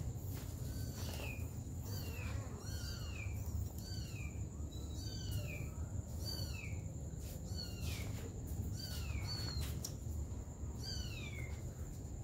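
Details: A mother cat caring for her baby kittens. High, thin mews sweep downward and repeat about once a second throughout, over a steady low rumble of background noise.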